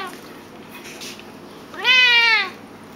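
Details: Domestic cats at home; one clear meow lasting about half a second, rising quickly then gently sliding down, rich in harmonics, preceded by quiet room noise and a soft rustle.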